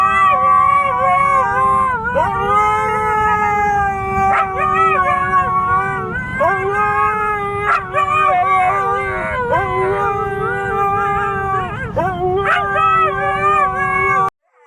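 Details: Siberian Husky puppy in continuous howling, steady tonal cries broken every two seconds or so by quick pitch jumps and yelping breaks, over a constant low background rumble.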